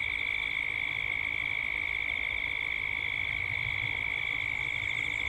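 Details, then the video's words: Cicadas at dusk in Gippsland, Australia. A steady, shrill droning chorus holds two high bands with a fast, even pulsing throughout. A low rumble of background noise sits underneath. "Cicadas at dusk"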